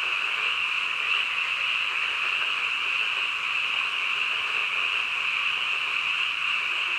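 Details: A steady wall of frog calls at night, shrill and constant, the massed chorus keeping one level throughout without gaps or other noises.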